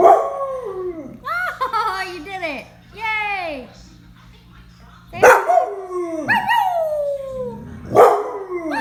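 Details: Domestic dog performing howls on cue as the owner calls for puppy and old dog sounds: wavering, arching howls repeated several times, overlapping with excited human talking and laughter throughout.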